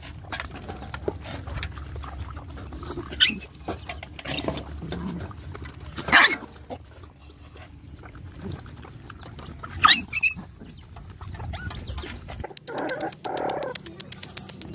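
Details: Nursing puppies: low snuffling and suckling noises with occasional rising whines standing out at intervals, and a short buzzing rattle near the end.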